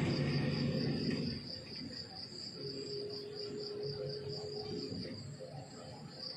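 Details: Crickets chirping in the countryside in the morning: a high, thin pulsed trill repeated steadily at about four pulses a second, with a faint low rumble near the start and a brief tonal hum in the middle.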